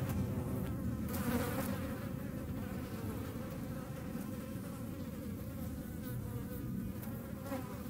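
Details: Hornet pursuing flies near the Eifel, Germany, producing a dense, continuous low buzzing hum with wavering tone as it flies about, fairly loud throughout.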